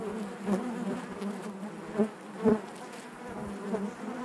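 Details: Honey bees buzzing inside their hive: a dense, steady drone centred low with harmonic bands above, swelling in brief louder pulses near the half-second, two-second and two-and-a-half-second marks as individual bees pass close.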